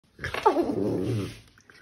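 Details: Pet dog giving one brief, rough, grumbling growl-like vocalisation that wavers in pitch, lasting about a second, indoors.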